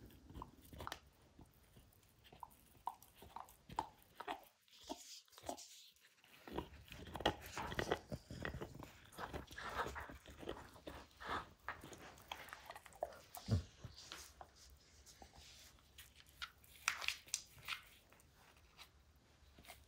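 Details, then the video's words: Max, a dog, chewing up a baseball hide inside a small room, long run of crackly snaps, tearing and gnawing with a short pause partway through. "Max Destroys A Baseball Hide | NOT ASMR | DOG CHEWING"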